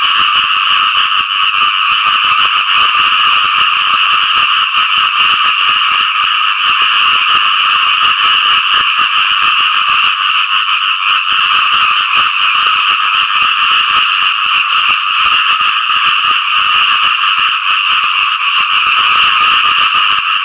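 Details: Frogs chorus for mates after rain, a thick steady mass of quick rattling croaks that holds constant throughout with no breaks.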